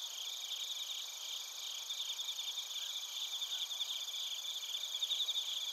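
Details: Bell crickets and other crickets recorded in Narita, Chiba Prefecture, Japan, on a TASCAM Portacapture X8: a dense high-pitched chorus of ringing trills and pulsed chirps, several layered tones sustained throughout, growing slightly louder toward the end.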